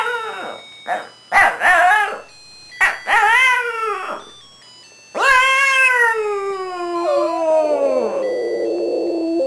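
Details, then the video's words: Pet Shih Tzu singing to Christmas music at home, another Shih Tzu adding background vocals; several short rising yelps, then a long drawn-out howl that slides downward and trails into a wavering tone, with faint music behind. "The Singing Shih Tzus"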